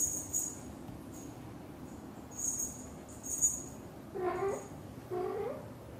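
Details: British Shorthair mother cat with her kittens: thin, very high squeaks repeat about once a second, then two low, rising chirped meows near the end.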